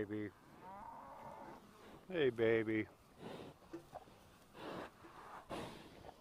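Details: Farm cattle answering while being called: several low, drawn-out moos, one long lowing call near the start followed by a louder strained moo around two seconds, then fainter moos and voices in the background.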